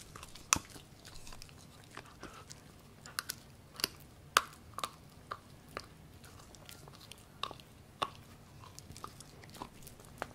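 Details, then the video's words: Husky-Pomeranian cross Gureum, a Pomsky born in 2018, eating pork: distinct loud crunching bites spaced roughly a second apart, with softer smacking between them in a quiet indoor room. "맛있는 돼지고기 먹방"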